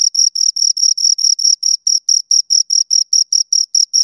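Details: Chirping from two crickets: steady, evenly spaced high-pitched pulses, roughly four to five per second, each a bright shrill tone with a fainter upper band, against complete quiet.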